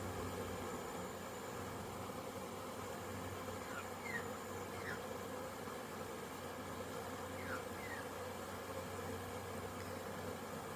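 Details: Dense, continuous humming drone from a crowded honey bee hive during orientation flights, 22 September 2022. Crowds of bees fly outside the hive. A few faint, brief, descending chirps sound in the background.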